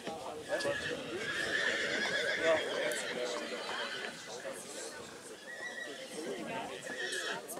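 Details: Black Forest mare Nessaja, born 2019, in the three-year-old mares group at Rossfest 2022, St. Märgen; shaky, tremulous whinnying peaks around two seconds, then fades under continuous human speech and occasional hoof sounds.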